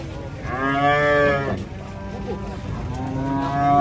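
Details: Cattle being unloaded from a truck give a loud harmonic moo lasting about one second, then a second drawn-out low moo begins near the end; faint speech and background noise.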